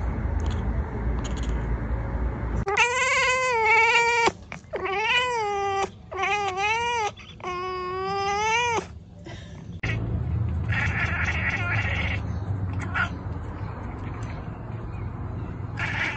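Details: Domestic cat giving a run of long, wavering meows, four or five drawn-out yowls rising and falling in pitch over about six seconds, then a steady background hiss with faint scraping.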